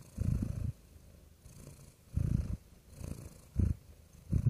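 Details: Real domestic cat purring close up, a soft low rumble in bursts of about half a second, four pulses with quiet gaps between them, indoors in a small room.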